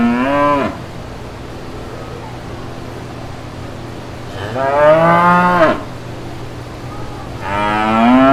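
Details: Authentic lowing from brown cows and calves in a green farmyard pasture: three loud moos spaced a few seconds apart, each a rich harmonic call bending upward, separated by a low constant hum.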